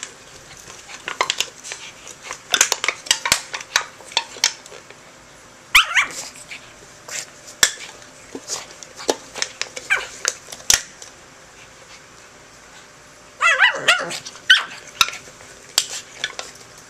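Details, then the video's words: A dog named Charlie, who does not like the can, fights it and goes crazy. Short sharp barks and growly bursts break out between loud clattering and tapping of the metal can indoors. "charlie fighting the can, goes crazy"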